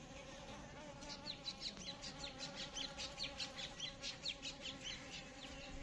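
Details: Buzzing of Asian honey bees: a steady low drone beneath rapid, pulsing higher buzzes that swell and fade several times a second.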